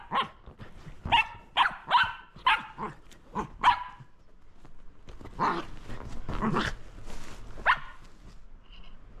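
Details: Shetland Sheepdog playing with a lint roller, giving a quick burst of about eight sharp, ringing barks over four seconds, followed by rustling, a couple of rougher, breathier barks and a final yap.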